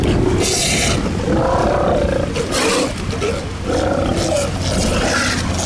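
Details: Sea lions in a colony at Mar del Plata or Necochea, Argentina: loud, overlapping hoarse roaring barks from several animals, rough and drawn out, over a constant broadband rush of wind or surf.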